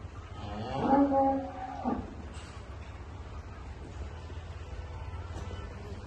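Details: Murrah buffalo at a dairy farm in Karnal, India, after a female calf was born overnight; one short, strong harmonic moo lasting about a second, followed by quieter farmyard noise and a few faint clicks.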